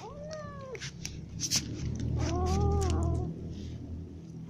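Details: Morning feeding of ginger and other cats: a short falling meow, then a louder, longer arched meow, with sharp clatters and a deep rumbling hum beneath.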